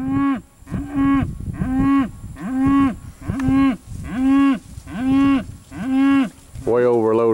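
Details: Cattle at a Georgia livestock sale, with a series of eight short, even moos repeated about every seventy hundredths of a second, then a rougher, higher bellow at the end.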